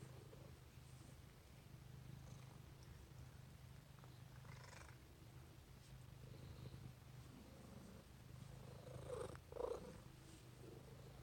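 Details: Domestic cat named Peppi purring while cuddling indoors: a low, steady rumbling drone with a soft pulsing rhythm throughout, with a few faint rustles and brief higher sounds near the end.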